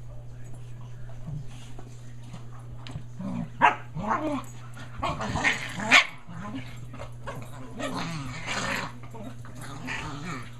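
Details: Pet dog named D.O.G., worked up with excitement as a familiar visitor arrives at the house; irregular bursts of barks and growly yelps, people talking over the noise, steady low electrical hum underneath.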